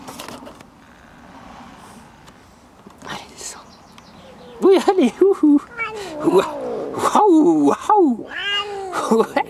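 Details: A female Siamese cat, described as grumpy, gives a run of drawn-out, bending yowls and grumbling meows while a person talks nearby.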